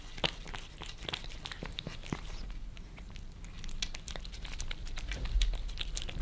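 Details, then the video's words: Two pet cats in Germany, Lissy the Maine Coon and Fritz the British Shorthair, lick favourite creamy treats off a glass table, recorded from below: wet, crisp clicking smacks in irregular bursts over a low indoor rumble. "Cats licking creamy treats on glass table"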